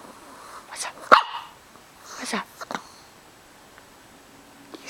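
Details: An 11.5-year-old small pet dog with an upset stomach and hiccups, indoors; one sharp hiccup-like yelp stands out among short broadband bursts, with a woman speaking around it.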